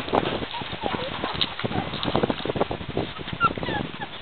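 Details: Playful puppies give short high squeaks and yips scattered through busy, overlapping noise, with human voices talking in the background.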